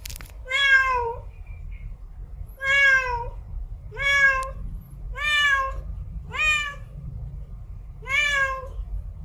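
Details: Domestic cat meowing steadily, six drawn-out harmonic calls with a slight upward bend, spaced roughly one to two seconds apart, over a constant low-frequency rumble.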